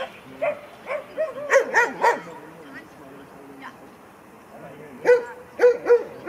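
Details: Kleiner Münsterländer puppy Franzi, a 16-week-old female, at her first play session with mostly adult dogs, filmed on a Panasonic LUMIX FZ300. Two bursts of short, sharp yapping barks come in quick clusters, separated by a quiet stretch of several seconds.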